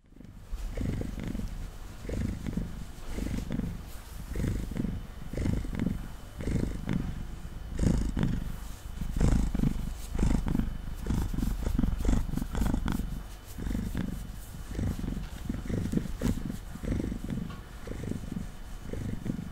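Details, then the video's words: Domestic cat named Mango, a male, purring on a table while being brushed, recorded close up indoors: a deep, steady rumbling purr in regular pulses, with the soft swishing of the brush over his fur. "Cat Purring & Brushing Sounds"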